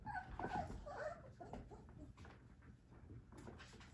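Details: Three-week-old Whippet puppies from a Minx and Oscar litter whimper indoors: a cluster of brief, high, squeaky whines crowds the first second, then fades into soft rustling and low handling noise.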